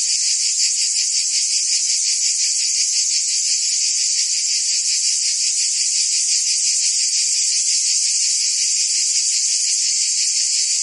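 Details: Cicadas singing during summer in Provence, France: an intense sustained high-pitched drone pulsing rapidly, steady and uninterrupted, with no birds or other sounds clearly heard.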